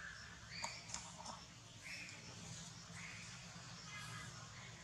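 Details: Baby monkey Bravin, hungry and refused milk, crying: short high squealing cries, each about a third of a second, come at roughly one-second intervals over a steady background hiss with a few faint clicks.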